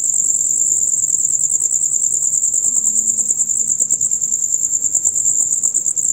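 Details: Loud, rapid chirping of male crickets in a nightly dusk-to-dawn chorus, a continuous shrill high-pitched pulsing trill holding steady, with soft low murmurs in the background.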